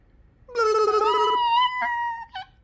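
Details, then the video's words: Yorkshire terrier making odd, funny noises: a sustained nasal whine that steps upward in pitch midway, then a short higher yelp at the end, indoors and quiet. "What are these funny Yorkie noises?!"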